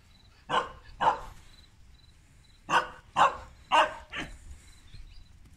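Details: Tibetan Mastiff mother Berta playing with her puppies in Kraljevo, Serbia. Short, sharp barks come in two bursts: a pair, then a quicker run of four, with quiet between.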